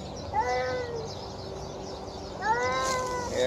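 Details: Hungry feral stray cat at feeding time, giving two short harmonic meows about two seconds apart, each rising briefly then falling, while a person speaks softly nearby.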